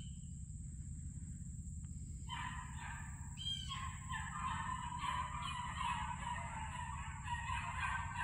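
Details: Beagle puppies baying as they start on a trail: after a short quiet lead-in, a continuous chorus of overlapping yelping bays, several dogs together, with a steady high whine and low rumble behind.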